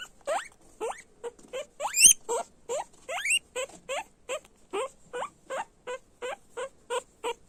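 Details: Several guinea pigs squealing loudly: a steady series of short, sharp, upward-sliding squeaks about every half second, with a few longer, higher rising squeals in the middle and nothing else clearly heard.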